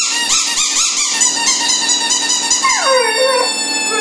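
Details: Tyson, a dog, gives a high, quavering howl that wobbles rapidly at first, then slides down into a lower drawn-out note near the end, indoors with a faint steady hum beneath.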